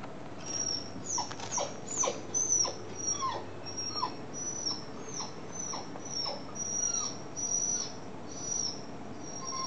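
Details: Dog whining that distressed Tabi, a dog hearing it for the second time: thin high whimpers and short falling squeaks repeated roughly every half second, over a low steady hum.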